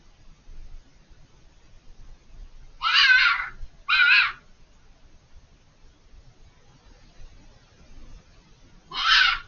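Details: Fox screaming from out of sight behind a hedge, calling repeatedly for over five minutes: two harsh, raspy screams a second apart, a pause, then a third loud scream near the end, over a quiet low rumble.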